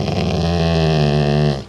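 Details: A part-Rottweiler dog gives a deep, steady growl, rumbling for about a second and a half, aimed at his sibling.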